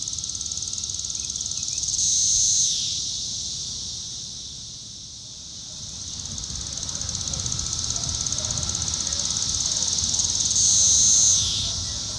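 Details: Magicicada cassini periodical cicada of Brood IV, filmed close up at Shawnee Mission Park, Kansas, on June 5, 2015, with an upswept defective wing exposing a tymbal; steady high buzzing hiss swelling into two louder crescendos, then fading.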